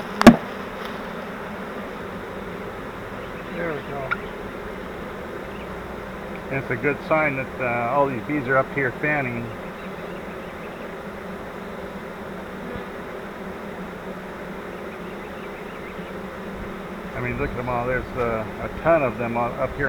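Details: Buzzing of a honeybee swarm captured in a bait hive swarm trap: an even, unbroken hum throughout, a sharp knock at the start and two brief spells of human voices in the middle and near the end.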